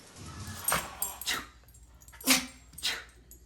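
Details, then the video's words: Pet dog sneezing, a series of short sharp explosive bursts spread across the upper range, four main snorts about half a second to a second apart, with quiet room background between them. "Sneezing Dogs"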